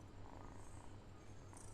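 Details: A house cat, asked in Malayalam why it bites the idle kittens, keeps up a low, even purring rumble, soft and steady throughout.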